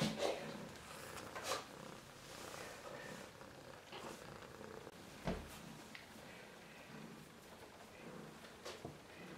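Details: Two silver female Siberian kittens from litter X, aged two and three weeks, purr indoors. The rumble is soft, steady and low, broken by scattered clicks and brief knocks from handling.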